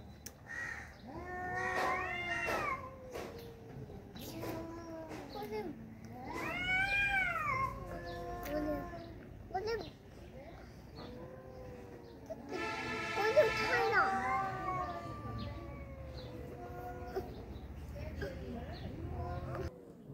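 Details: Two tomcats locked in a fight trade long, wavering yowls with rich harmonics, rising and falling in drawn-out wails that overlap. A harsh, noisy burst comes near the middle, and a human voice is faintly audible.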